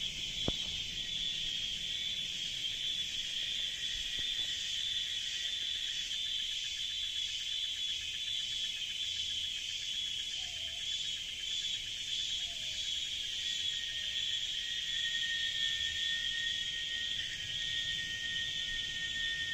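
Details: Nonstop cicada song inside the jungle: a dense, unbroken high shrill buzz with a faint pulsing texture, a couple of short clicks early on, and a few soft higher tones near the end.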